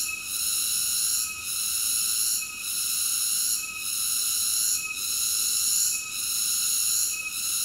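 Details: Cicada song as a loud, sustained, tonal shrilling concentrated high up, pulsing down slightly about every 1.2 seconds before swelling back, on an otherwise quiet background.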